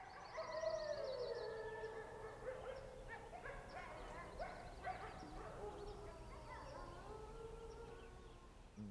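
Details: On a dark night in Algonquin Park, several gray wolves howl together from a distant lakeshore, long sliding tones overlapping in a wavering chorus.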